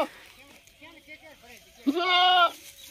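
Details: Goat usually housed in a cooled room, taken to a field today and not at ease, lets out one strong quavering bleat after a man speaks quietly in Hindi.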